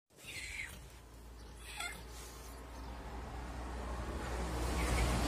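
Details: Cat at a village, calm day with cuckoo birds: a few short, high meows, one falling in pitch, over a steady low background rumble that grows louder toward the end.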